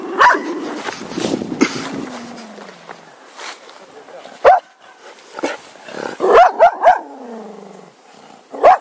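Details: A Cocker Spaniel gives short, sharp barks, some single and some in a quick run of three.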